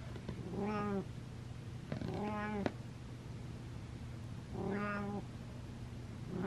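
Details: Pet cat named Butters back to meowing indoors: three short, flat, evenly pitched meows about two seconds apart, clear harmonic stacks, with a constant low hum in the room.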